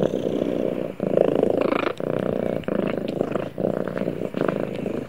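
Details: Domestic cat purring while snuggling with its owner; a steady, loud, low rumbling purr that pulses with each breath, with brief dips roughly every second, continuing without stopping.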